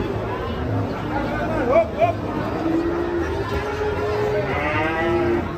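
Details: Sacrificial cow rampaging fiercely as it comes off a truck, giving long, drawn-out low moos with steady harmonic tones that waver slightly, over a constant rumble of background noise and faint voices.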